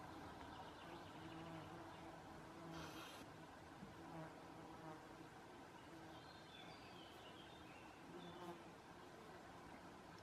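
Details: Large male stag beetle flying in Belgium on 20 June 2018: a low, steady droning buzz with a humming tone that rises and falls slightly, and faint high bird chirps in the second half.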